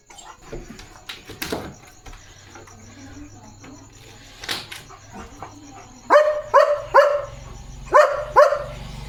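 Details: Leo, a German Shepherd guarding his farm area in the evening, barks fiercely: after quiet rustling and faint voices, a burst of four quick harsh barks, then a pause and two more, over a steady low hum.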